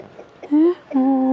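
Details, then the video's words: Border Collie puppies, not LOF-registered, on a farm that breeds them, cheerful and eager for attention: two drawn-out tonal whines, the first short and slightly rising, the second longer and level, over quiet background noise. "Chiots Border Collie non LOF des Tourelles - joie et bonne humeur des chiots avides d'attention"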